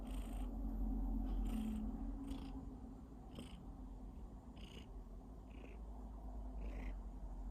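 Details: A cat coughing while purring: a steady low rumbling purr throughout, broken by repeated short bursts at irregular intervals.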